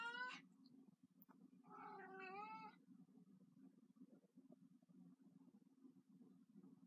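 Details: Fifteen-year-old house cat Kitten, fond of her toy mouse, lets out a short sharp meow followed by a longer wavering one, then only soft rustling and a low room hum remain.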